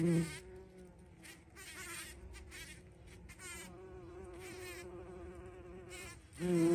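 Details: Bumblebee at a feeding spot, recorded 14 June 2023: a steady, low droning hum holds throughout, swelling loudest at the start and again near the end, with faint crackling bursts above it.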